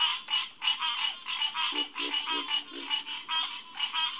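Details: Hyla cinerea males calling at night at SMNWR's Headquarters Pond in June; distinct nasal quonk notes repeat several times a second over the massed chorus, while a lower croaking frog pulses beneath.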